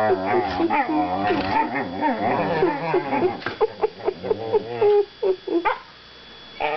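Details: Two young whippets mouth wrestling in play, giving wavering, harmonic growls and grumbling vocalizations that rise and fall continuously, then break into short separate yelps and grunts toward the end.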